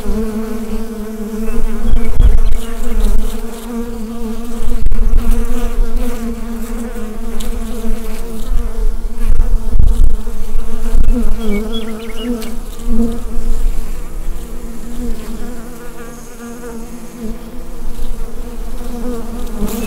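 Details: Bees buzzing within the hive on a Rode NT-USB microphone, a thick low hum overlaid by loud deep thumps and rumbles, possibly from handling near the microphone, easing toward the end.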